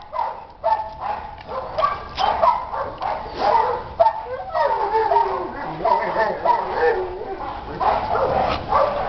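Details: Shelter Boxer Chuck, born 2011 and living in an animal shelter for about two years, lets out a rapid string of yips, short barks and whines, with a person speaking Spanish to him in between.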